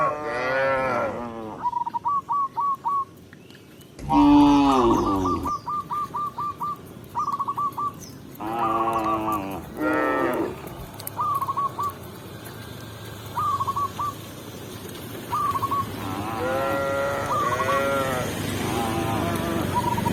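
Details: A tame cow being led to its pen by a village shepherd gives several long, drawn-out moos, each rising and falling, while small birds chirp steadily behind.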